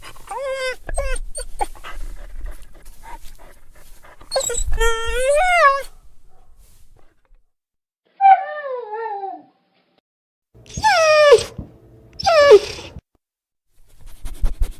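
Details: Dog crying in a sad, mournful way: several bursts of high, tonal whines that slide and waver, some falling sharply in pitch, separated by short silences, with soft thumps and background rustle.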